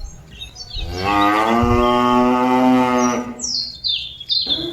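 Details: Cattle calling its companions back to the pen: one long, steady, harmonic moo lasting about two seconds, followed by short high chirps from birds in the background.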